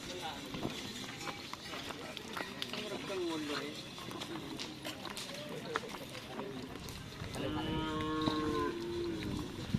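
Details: Cattle at bull race (karapan sapi) training with newly brought Lombok-Bali bulls on a field in Asemanis, Pamekasan. Near the end, a drawn-out, steady harmonic moo follows a shorter low call, with crowd chatter, voices and outdoor bustle throughout.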